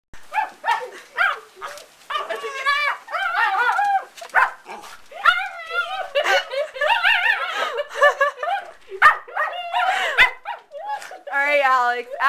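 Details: A half-pug, half-chihuahua puppy plays, not angry, pouncing on its owner and making a run of funny noises: strained, grumbling yips and whiny growls in quick harmonic bursts, mixed with a woman's voice talking and laughing.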